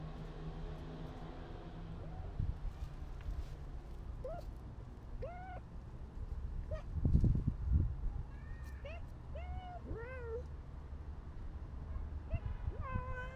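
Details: Stray and tabby cats in a street-feeding setting in Turkey, giving several short rising-falling meows spaced a second or two apart, some overlapping, over steady low traffic rumble and a brief thump near the middle.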